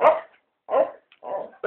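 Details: Beagle dog indoors giving four short, rough barks spaced about half a second apart, each broad and mid-pitched, with a person urging it to go outside.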